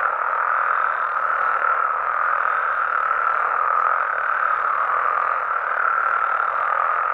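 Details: Frogs calling at night in Mexico: a dense, unbroken chorus of many overlapping croaks forms a steady mid-pitched roar that holds level for the whole stretch, with no other clear sounds.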